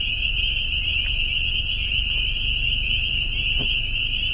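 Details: A dense, very loud chorus of countless spring peepers, the first heard this year, forms a continuous high, shrill ringing of overlapping peeps.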